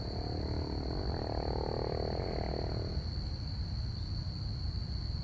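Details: Night-time crickets chirping in one sustained high tone, joined for the first few seconds by a humming, droning sound from a passing plane, with low rumble underneath.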